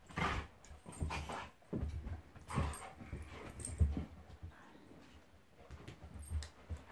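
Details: Mock fighting between two pet dogs, a Golden Retriever called Monty and a Labrador called Eric: deep rumbling growls in repeated bursts, with louder snarls now and then and calmer gaps toward the end.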